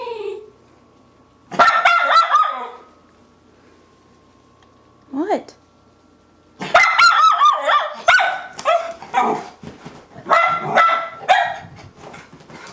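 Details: Excited yelping and warbling whines from two pet Miniature Schnauzers greeting an owner coming home; bursts of high, quavering cries come in clusters separated by quiet gaps, with a person speaking to the dogs.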